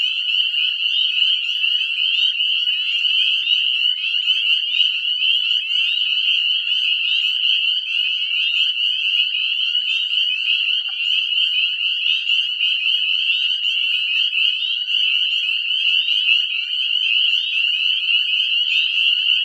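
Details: Spring breeding chorus of Northern Spring Peeper frogs at a woodland pond at dusk, after above-freezing nights: countless high piping peeps blending into one deafening, shrill ringing wall.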